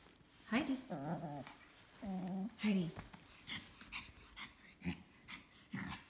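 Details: Dog heard around a new carrier, producing wavering, warbling whines in bursts of about half a second, followed by shorter yelps, with knocks and shuffling between the calls.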